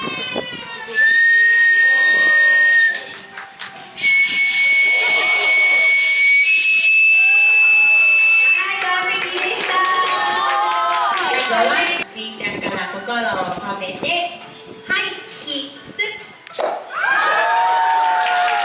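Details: A female walrus at Umitamago aquarium in Oita, Japan, whistles on cue during a show, giving long, pure, steady whistles at several pitches, each stepping slightly higher than the last.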